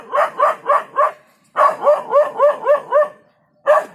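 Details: Startled dog in Jhalana barking off a leopard: a run of four quick barks, a pause, then six more evenly spaced barks and a final bark after a gap.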